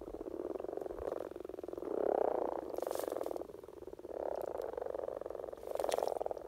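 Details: In spring, with common frog (Rana temporaria) courtship at its peak in Norway, a frog gives its soft, low purring mating call in rapid pulsed bursts.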